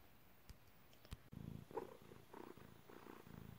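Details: Domestic cat purring while giving birth indoors; soft low rhythmic purr begins after a sharp click, with pulsed breaths repeating roughly every half second and a few faint taps.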